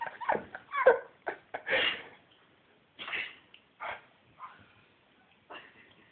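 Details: Labrador retriever after playing outside in snow, giving a run of short sneezes and snorts, some close together then spaced about a second apart, fading toward the end.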